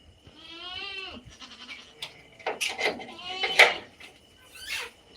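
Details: Native country goats bleating: a long wavering nasal bleat with stacked harmonics, then shorter quavering bleats and broken, overlapping cries, with faint background voices.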